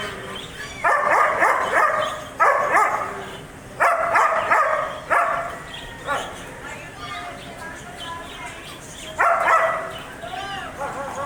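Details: German Shepherd dog barking: loud, harsh barks in separate bursts with sharp onsets, arriving at uneven intervals over about eleven seconds, several in quick doubles, each trailing off with a ringing, echoing tail against a low background hum.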